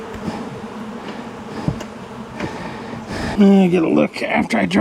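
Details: Honey bees from a long-time colony in a house wall, agitated after dark during a rescue cutout on March 6, giving a dense continuous hum for three seconds before a man's voice cuts in.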